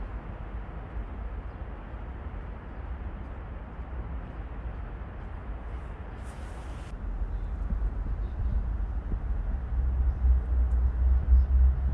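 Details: Steady outdoor traffic rumble with a brief hiss midway and a louder low engine drone toward the end, no animal calls.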